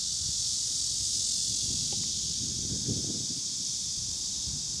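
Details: Cicadas in Kanazawa, Japan, 2013, where only Cryptotympana atrata and large brown cicadas were heard. A dense, unbroken high-pitched buzzing drone holds steady throughout, with faint low rustling underneath.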